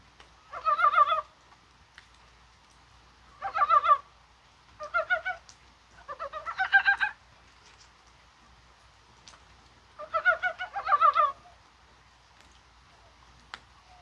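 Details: On a spring-like rainy January 21, mountain frogs possibly laying eggs give short rattling bouts of pulsed, throaty clucks, five spaced groups with quiet gaps of one to three seconds and faint rain-like ticks between.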